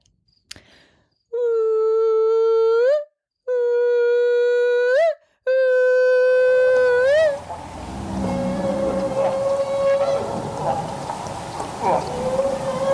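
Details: Humpback whale feeding calls from the North Pacific, Alaska, used when feeding on Pacific herring: long, steady, operatic tones near 500 Hz, repeated three times, each ending in a brief upward lift.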